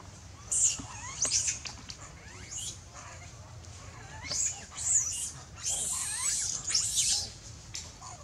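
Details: Young monkey in danger screaming loudly for its mother's help, giving repeated piercing high squeals and shrieks in short irregular bursts, some stretched into longer strained wails, with steady low background rumble.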